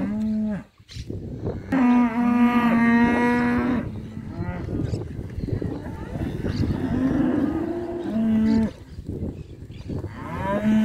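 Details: Auctioned calves, both sexes, at the Sociedad Rural de Junín on 18 December 2019; a long steady moo near two seconds in, then shorter flat moos later, with a rough rustling background throughout.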